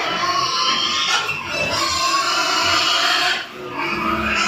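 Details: Duroc pigs squealing almost continuously on a farm in Assam, high harmonic cries layered over one another for more than four seconds, with a short dip in the middle.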